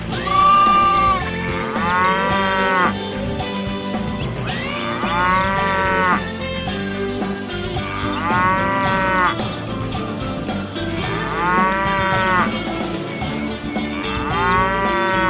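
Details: Sacrificial cattle awaiting Qurban slaughter in Indonesia, mooing loudly: long harmonic calls that swell and fall away, each lasting one to two seconds and repeating every three seconds or so, over a dense, noisy background.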